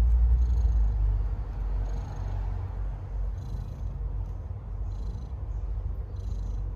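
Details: Stray cat giving birth to kittens, a steady low rumbling purr close to the microphone, pulsing in an even rhythm, with faint higher rustling sounds now and then.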